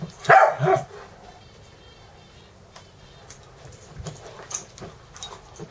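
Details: Wrestling dogs Dexter and Mister at play in a Valley Village, California home near Universal Studios, Ecco and Cricket looking on; one loud doubled bark opens, then faint rustling and scuffling noises follow.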